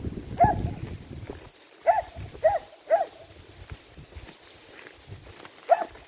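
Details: Finnish Lapphund giving short, clipped barks: one early bark, then a quick run of three, a pause, and two more near the end, over a low rumbling background.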